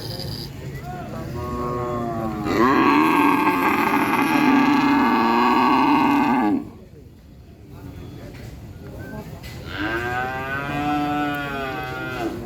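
A cow gives long, loud, harmonic moos, each holding a steady pitch before fading.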